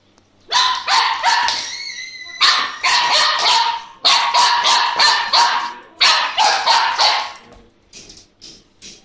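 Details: Australian Kelpie puppy indoors barking excitedly at a broom being used to sweep: rapid bursts of sharp, high yappy barks, three to five in quick succession, with short pauses between bursts, ending in softer yips.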